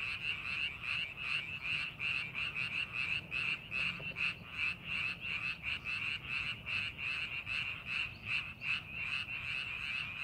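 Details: In rice paddies being readied for planting, frogs keep up a loud chorus of rapid, buzzy pulsed croaks, bursts crowding together irregularly at times, with light low-frequency background noise.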